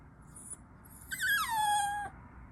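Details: Chihuahua puppy giving a single drawn-out whine that starts high and glides smoothly down to a lower, steady tone before stopping abruptly.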